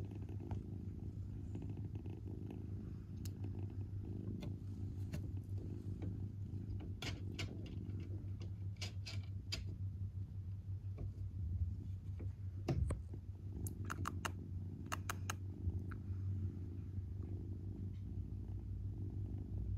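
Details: Father cat beside his kitten, purring in a low continuous rumble throughout, with scattered small clicks and taps over the top.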